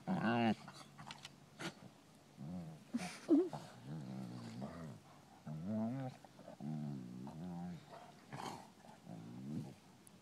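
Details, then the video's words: Playing European Basset Hounds at Bellingham Bassets, March 2013, give a run of whining, moaning and short howling calls, rising and falling, repeated every second or so over ten seconds, with scuffles and rustling between them. "Bellingham Bassets playing European Basset hounds"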